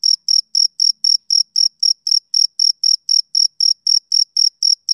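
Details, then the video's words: Male cricket chirping on a summer evening, a steady train of high, clean pulses, about four per second, each short and bright, with no other sounds in the background. "Cricket Chirping Sound Effect"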